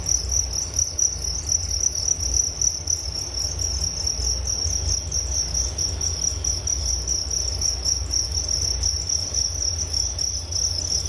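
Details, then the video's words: Relaxing cricket chorus meant to help with sleep, a continuous shrill trill pulsing about four times a second over a soft low hum, with a thin, higher overtone band running along above it. "Relaksasi Suara Jangkrik Penghantar tidur || Nature Sound of Crickets"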